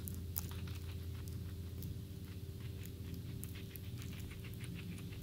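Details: Vanilla, an all-white flat-furred male guinea pig in a cage, eating a snap pea: rapid, irregular crunchy clicks throughout over a steady low indoor hum.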